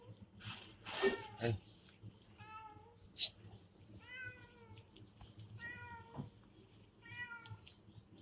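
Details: Pet cat Loren at a morning roadside shop, a person calling to it before a run of four to five short harmonic meows roughly every one and a half seconds, interspersed with clicks and knocks.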